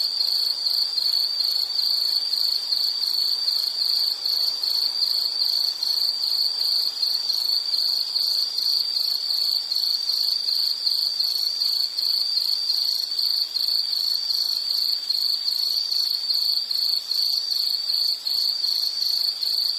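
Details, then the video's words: Steady insect chorus used as a relaxing background sound: a high, evenly pulsed trill runs unbroken and unchanging throughout, with thin ringing tones higher up and no other noises. "Nature Sound of nature sounds scenery L · insect"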